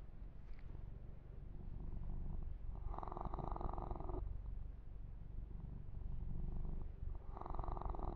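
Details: Deep, steady purring from a male kitten being massaged, a continuous low throb, overlaid by two long stretches of soft hissing rubbing on the fur.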